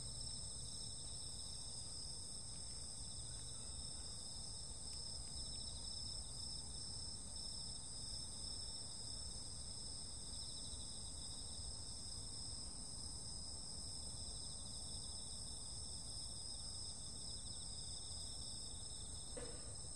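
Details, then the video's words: Summer-night insect chorus, a dense, unbroken shrill ringing held at several high pitches for the whole stretch, faint rhythmic pulsing on top, over a soft low background hum and one brief click near the end. "sounds of summer night 夏の声 夏夜聲"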